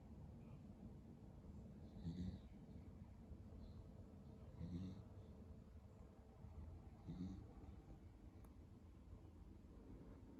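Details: Pero, a lemon-and-white male Beagle born 22 February 2015, snores while asleep: low rumbling breaths swelling roughly every two and a half seconds, soft and muffled under steady room hiss.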